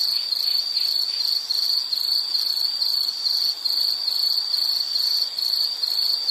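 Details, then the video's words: Nature recording of an insect producing a piercing high trill in short rapid pulses, roughly two or three per second, continuing without a break. "Nature Sound of nature sounds scenery L · insect"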